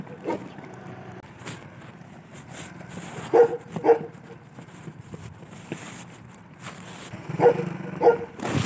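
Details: A large Afghan watch dog gives deep, gruff barks in two quick pairs over a low background hum.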